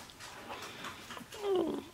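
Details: Sixteen-day-old Shiba Inu puppy of the Ichi and Hime litter, indoors on 13 March 2017: a short tonal whimper sliding downward near the end, soft and thin, with faint room noise around it.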